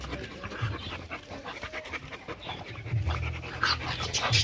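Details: Cane Corso play-fighting with two French Bulldogs: quick, breathy panting bursts and low rumbling growl-like noises come in uneven runs, with a person's voice and scuffling heard alongside.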